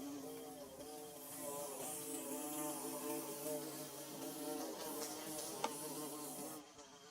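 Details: A swarm of bees constructing their nest, thick overlapping buzz of many wings, low undulating drone holding steady, then a single sharp click near the end before the sound softens.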